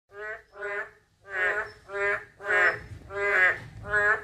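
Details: Narrow-mouthed toad calling: nasal, harmonic croaks repeated about every half second in uneven bursts, each a rich buzzy tone with stacked overtones, with no other clear sounds.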